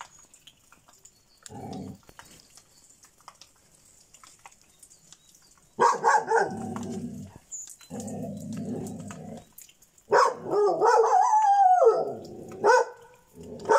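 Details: Šarplaninac dog named Bitzer giving low, rumbling growls in bursts of one to two seconds with short pauses, then rising into louder, higher whining barks toward the end; quiet room otherwise.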